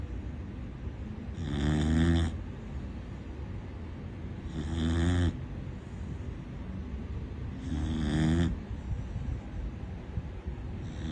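A Corgi puppy snores loudly, each rasping breath repeating about every three seconds.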